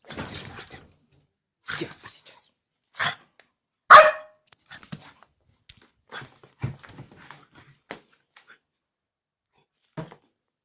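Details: Angry bulldog barking indoors: short, harsh, broadband barks in separate bursts, roughly one every second or two, with one louder bark near the middle and quieter growly sounds between.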